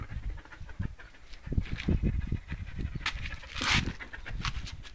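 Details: Belgian Malinois named Rea panting: quick low huffing breaths in an uneven run, with a sharp loud rustle or bang near the end.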